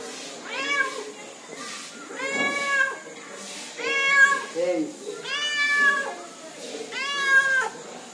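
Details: Friendly cat meowing repeatedly, about five clear drawn-out meows roughly every one to one and a half seconds, each a rich arching tone, with a person speaking Arabic in between.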